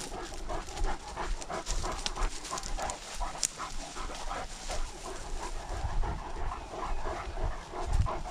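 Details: Great Danes out on a walk during lockdown, recorded on a dog-mounted GoPro: quick, breathy panting bursts repeat steadily through the clip, with rustling and low rumbling from movement and the outdoors.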